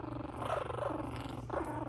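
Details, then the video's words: Shih Tzu puppies playing wildly, one giving a low, rough, rumbling growl that pulses steadily through the moment, with a steady hum underneath. "Cute Shih Tzu Puppies Get Wild"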